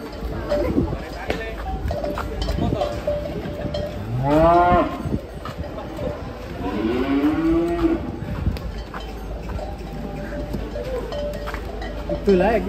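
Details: Cow moos while being unloaded from a truck to take part in a contest: two drawn-out, harmonic rising-then-falling moos around the middle, with cowbell clinks and low background noise throughout.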